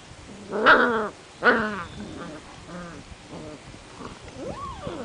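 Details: Seven-week-old Portuguese Water Dog puppies playing outside: two loud, harmonic yelping barks about a second apart, then softer broken whimpers and a final rising-then-falling whine.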